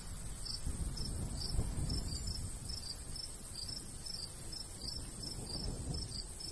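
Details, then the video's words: Crickets chirping in summer countryside beside a golden wheat field, with a light breeze: short high chirps repeated about three times a second, irregularly spaced, over steady low wind rumble. "Countryside/cricket sounds"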